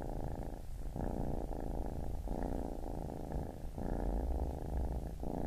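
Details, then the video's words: Baby kitten purring in breath-length phrases, a rough low buzzing rumble broken by short pauses roughly every second as it breathes in and out. "Baby Kitten Purring"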